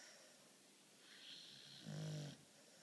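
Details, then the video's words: Charly, a pet beagle, snoring during his daily midday nap indoors: soft breathy rasps, then one louder, low, rattling snore lasting about half a second near the end. "Beagle schnarcht, Hund schnarcht"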